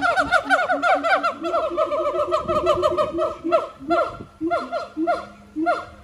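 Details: Captive siamang gibbons at the Honolulu Zoo, Oahu, Hawaii, on September 15, 2022, singing: dense bursts of loud, harmonic whooping notes, several per second, with overlapping voices, then thinning to spaced, separate calls near the end.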